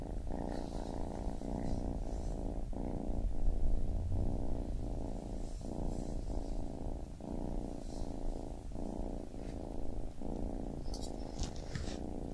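A kitten purrs steadily, a low rumbling throb pulsing in and out with each breath.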